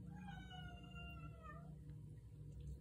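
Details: Female domestic cat meowing in the middle of the night because she wants to go outside: one long drawn-out harmonic meow lasting under two seconds, falling slightly at the end, over a steady low indoor hum.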